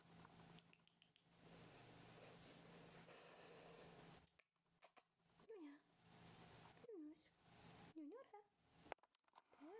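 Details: Female Rough Collie puppy, eight weeks old, from Tiana's litter, giving four short whimpering whines that dip and rise again, spaced about every one and a half seconds, after a stretch of steady low hum indoors.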